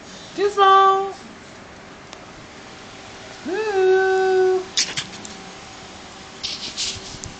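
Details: A 13-week-old Morkie puppy, which chirps instead of barking, gives two high, squeaky chirps, each sliding up quickly and then holding steady.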